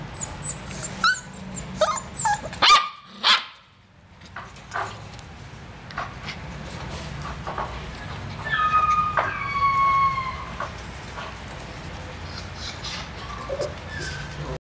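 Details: Purebred Dalmatian dog giving a few short, sharp barks in the first three seconds. A drawn-out, tonal whine with clear overtones follows about nine to ten seconds in, over a steady low background hum.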